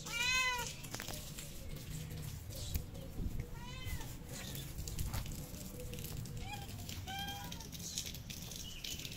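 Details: Hungry stray cats in Morocco, among them two pregnant females, meow repeatedly while being fed outdoors: three bright, tonal meows spaced a few seconds apart over steady low traffic-like rumble and faint clatter.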